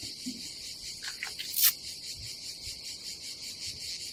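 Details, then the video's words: Cicadas on a summer day at a campsite above the Adriatic Sea in Croatia: a steady, high, shimmering buzz with fast regular pulsing runs throughout, broken by a brief rustle and a sharp knock midway. "nature cicadas sound"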